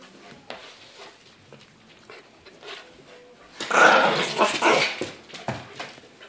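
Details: A husky puppy about 3½ months old and a yorkie-poo about two years old play together. After quiet scuffling and faint noises, a loud burst of rough growling and barking comes midway, then fades in short snatches.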